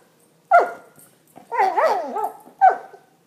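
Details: English Springer Spaniel playing with its armadillo toy: a sharp yelp, then a wavering, whining howl that rises and falls several times, then a second short yelp, all in a quiet room.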